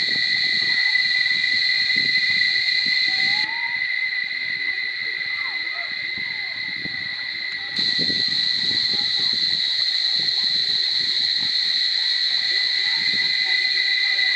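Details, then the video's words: Barichara cicadas keep up a piercing, continuous high drone; the upper part fades briefly in the middle then returns, with faint low voices and scattered soft sounds beneath. "Chicharras en Extasis a Punto de Estallar en Flor... Barichara"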